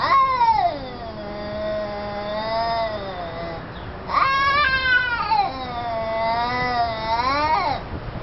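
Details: Fight between an orange cat and a black cat; sustained moaning yowls with slow wavering pitch, a long howl followed by a sharp rise into another drawn-out, undulating wail.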